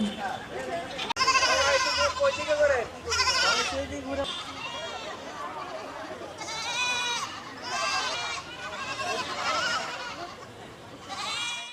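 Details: Goats being handed out to widowed and needy women in Basail, Bangladesh, bleating repeatedly: wavering, nasal cries in bursts every second or two, amid a crowd of people talking.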